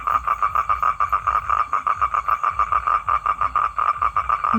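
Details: A male toad's courtship call to draw in a female: rapid, evenly repeated croaking pulses on a single mid-range note, continuous and loud, over a quiet low hum.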